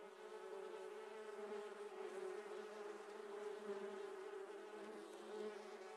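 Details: Massed buzzing of Apis dorsata colony while honey is taken, an unbroken droning hum rich in overtones that holds steady throughout with slight swells.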